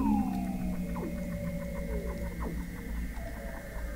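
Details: Weddell seals beneath Antarctic sea ice at McMurdo Sound, November 2017, from a fixed underwater observatory: a steady high tone with rapid pulsed ticks and short falling sweeps over a low rumbling background.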